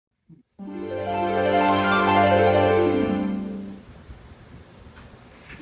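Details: A single sustained, richly harmonic musical chord swells and then fades, followed by quiet room noise.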